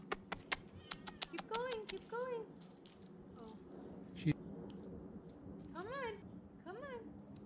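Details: Olive, a tabby female cat, meows while climbing down during a rescue: a few rising-falling, whining meows spaced over several seconds, with sharp clicks at the start and a woman coaxing her along.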